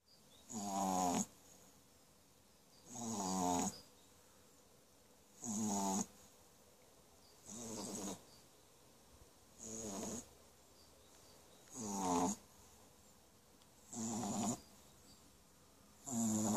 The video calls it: French Bulldog puppy snoring